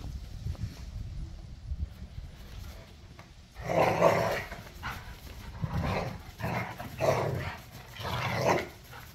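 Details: Three pit bulls and a Malinois playing rough in a back yard, tug of war with toys; after a quiet start, a run of loud gruff growls and snarling barks comes in bursts about once a second.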